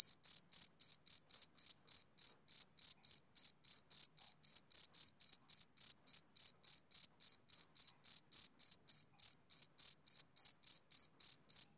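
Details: Rhythmic chirps from a male cricket, high and ringing, coming about three and a half times a second for twelve seconds with near-identical loudness. Nothing else is audible.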